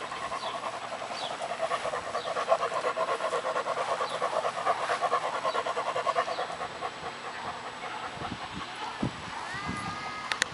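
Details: Working-line German Shepherd puppies, seven months old and born 19 January 2016, a sable and solid-black litter, heard in steady rapid panting of roughly three breaths per second, with faint chirping fowl and short tonal sounds near the end.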